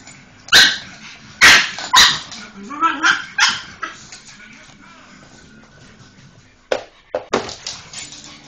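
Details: Molly, a pet pug, barks frantically at the Hoover: a cluster of sharp, loud barks early on, a quiet lull, then more clipped yaps toward the end.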